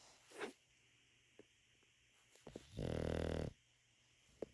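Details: English Bulldog snore: a single rasping, pulsed rumble lasting under a second amid quiet room noise and a few faint clicks.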